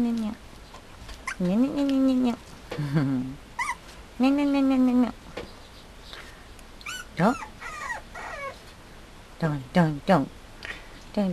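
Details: A Mame Shiba Inu puppy from a breeder makes repeated high whines and yelps, some long and wavering, others short and sharp, with bursts coming every second or two amid background voices.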